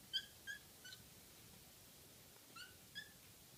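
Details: Pet kitten repeating brief, high, clipped 'kya' cries, a few in quick succession, then a pause and two more, faint against steady background hiss.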